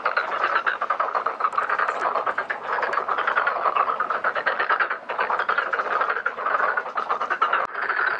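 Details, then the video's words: A pond full of black-spotted pond frogs calling while mating and laying eggs; rapid trains of harsh croaking pulses repeat without pause, forming a thick, loud chorus throughout. "참개구리의 울음소리, 짝짓기와 산란 Black-spotted pond frogs, singing, mating, laying eggs"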